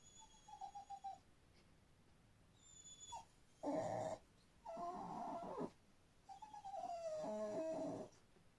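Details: Pet dog making odd, funny noises: a series of high, nasal whines in separate bursts, some wavering and falling in pitch, with short snuffly breaths between, in a quiet room.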